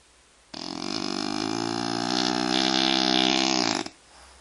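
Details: Snoring French bulldog, a single drawn-out harsh breath of a little over three seconds, thick and vibrating throughout, with quiet room sound before and after.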